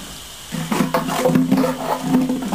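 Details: On a hot day, Border Collie pups romping under a fine mist from a hose let out a loud, drawn-out low growl lasting about two seconds, with water hissing behind it.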